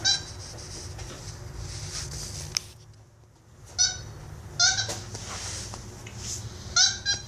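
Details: Instinct, a pet capuchin monkey, play fighting with a toy monkey. Repeated squeaky, harmonic chattering bursts arrive in short clusters every second or so after a quiet pause, mixed with rustling, taps and a low room hum.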